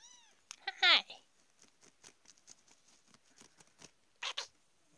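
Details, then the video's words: Two-week-old kittens from a litter; a loud, high, wavering meow with a rising-then-falling tone opens, followed by soft clicks and shuffling and one brief squeak near the end. "yade litter 2 week old"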